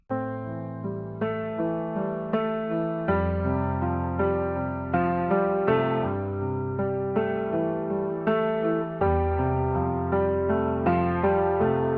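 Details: Electric piano music plays throughout, with sustained chords and no animal sounds.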